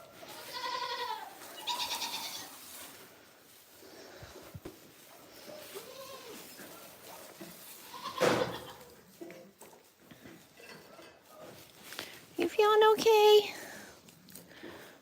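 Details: Farm goats, described as screaming constantly, bleat in loud, wavering, nasal cries, with a woman talking softly between them.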